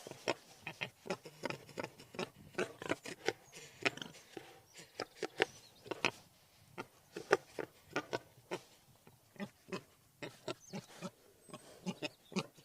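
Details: Wild boar giving a rapid series of short, sharp, clicking grunts, dozens in quick succession with brief pauses, fairly quiet against a soft background hiss.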